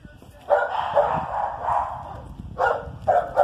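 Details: Whippet and Basset Hound at play: a run of harsh, throaty barking yelps, a long rough stretch in the middle, then two short loud bursts near the end, over a faint background rustle.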